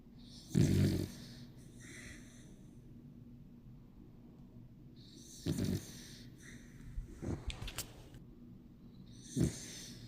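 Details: Yang Bibi, a Bichon Frise, snores while asleep. Three low, raspy snorts come roughly every four seconds, with a few brief clicks and light rustles between the second and third.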